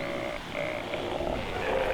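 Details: A huge Steller sea lion bull roars deep and drawn-out over steady rumble and wind at a rookery of about 150 sunbathing sea lions, Queen Charlotte Sound off northern Vancouver Island; bulls are apparently arguing over rock space.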